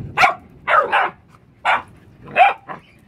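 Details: Pet dogs barking: four loud, harsh barks over about three seconds, some doubled, spaced irregularly around half a second to a second apart, with a quiet room background between them.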